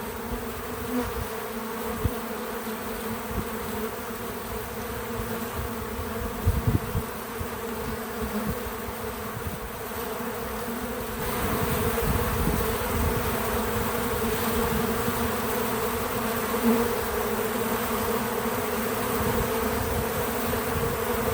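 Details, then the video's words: Buzzing of bees at work around a feeder, unaltered natural audio: a constant humming drone with stacked tones, growing louder and denser about halfway through, and occasional low bumps early on. "Bees in Slow Motion at the Feeder 🐝 | Natural Buzzing Sounds"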